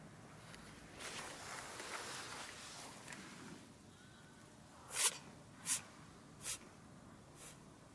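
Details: American Shorthair cat that keeps sneezing, recorded 3 March 2013: after a few quiet seconds come three sharp, hissing sneezes in quick succession, each under a second apart, then a softer fourth one trailing off.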